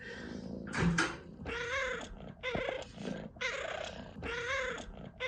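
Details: Cat chirping nonstop, five loud trilled chirps about half a second each, evenly spaced with brief pauses, buzzy and harmonic with a slight rise in pitch.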